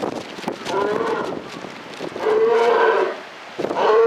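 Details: Polar bear vocalising at Maruyama Zoo in October 2013, three tonal, bleating moans in quick succession, the middle one longest and steadiest, with low clatter between calls.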